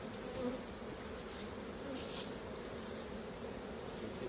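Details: Honey bees at the hive while honey is collected. A constant mid-low buzzing drone with no breaks and a faint hiss above it.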